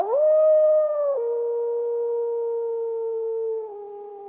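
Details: Wolf howling: one long, smooth, tonal howl rises quickly at the start, steps slightly lower after a second, then holds a steady mournful pitch for over four seconds, with a small drop near the end.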